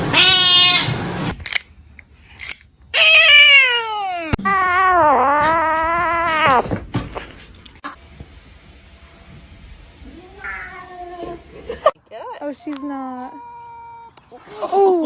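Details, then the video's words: Domestic cat crying with long, drawn-out wailing meows. The meows are rich in harmonics and bend down then up, with short gaps and brief clicks between them. A few shorter meows come near the end. "kitten meowing crying"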